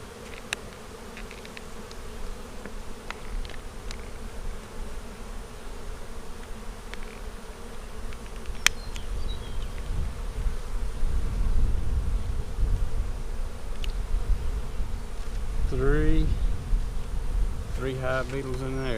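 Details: Honey bees droning during a spring inspection of a split colony from March 4; low hum swells louder after the midpoint, with sharp ticks early and a scraping rattle near the end.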